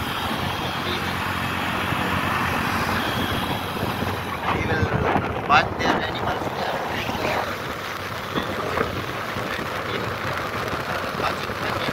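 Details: Outdoor desert market ambience with strong wind buffeting the microphone, distant engine rumble and snatches of speech.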